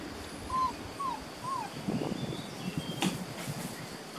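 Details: Three short arching whines from young Beauceron pups, 6.5 weeks old, working lines, new pen, 27 May 2019. Each whine rises then falls, followed by rustling and a sharp click against outdoor noise.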